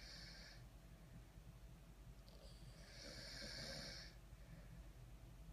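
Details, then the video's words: French Bulldogs napping together, snoring softly: a quiet, rough breathy rasp that swells in slow, uneven surges, with one louder hissing snore in the middle, over a low steady hum. "French Bulldog Snoring Contest"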